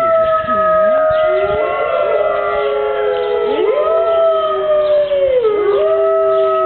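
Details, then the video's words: Five Siberian wolves howling together on a rainy morning at Berlin Zoo: long overlapping gliding tones, some holding steady, others swooping down and sliding up, forming a continuous layered chorus with no break. "The Five-Wolf-Symphony"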